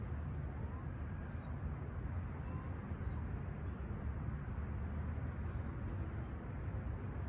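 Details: Summer morning cricket chorus in Humber Bay Shores, Toronto, on 28 July 2020 at sunrise: one even, shrill continuous trill holds steady throughout, with a dense low background rumble beneath.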